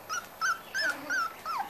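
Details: Five-week-old Corgi puppies whimpering: five short high squeaky whines in under two seconds, each slightly falling in pitch, against a quiet background.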